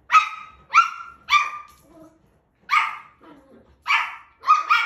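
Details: Shetland Sheepdog puppy barking on first seeing a washing machine and a mirror: sharp, high barks in bursts of three, a pause, then three more, each with a bright, slightly falling tone.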